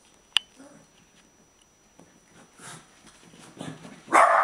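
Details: Jack, Boo and Buddy, pet dogs at play indoors: faint scuffling and soft sounds, a click early on, then a single loud bark at the end.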